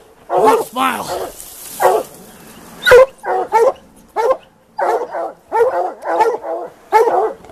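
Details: Plott hounds baying on a mountain lion hunt: long wavering howls open, then steady hoarse bays come every half second or so. A man speaks over the dogs.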